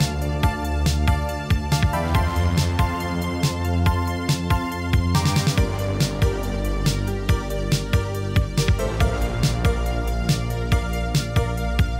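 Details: Loud electronic dance music with a steady thumping beat, sharp percussive hits and layered synth tones throughout; no animal voice is heard.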